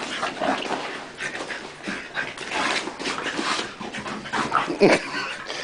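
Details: Dogs Tank and Bofa grappling in play: breathy huffs and scuffles rise and fall, then brief thin whimpering squeaks near the end, with a trace of human voice.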